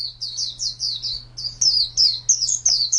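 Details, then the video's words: Contest white-eye kept as a cage bird delivering high, down-slurred chirps, about one and a half a second, the later notes louder and more warbled, over a soft low hum. "Birds Chirping Pleci Master Joss Chirps"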